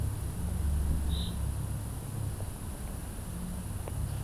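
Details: Low humming drone of a red-tailed bumblebee, Bombus lapidarius, its deep buzzy tone shifting a little as it moves, with one brief high bird chirp early on and soft outdoor noise.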